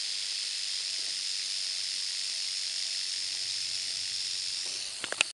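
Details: Timber rattlesnake, Berkley Springs: an even, high, sizzling buzz held throughout, with a few short sharp knocks near the very end.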